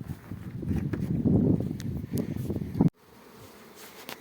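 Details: Honey bees at an apiary with two rows of 50 hives, a low dense buzzing swelling and fading for nearly three seconds, with faint clicks and knocks, then cutting to a quieter hum.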